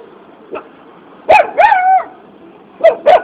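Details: Puppy barking while asking for a biscuit: a faint yip, then a pair of short high barks and a longer wavering whine-like bark, followed by two more quick yips near the end.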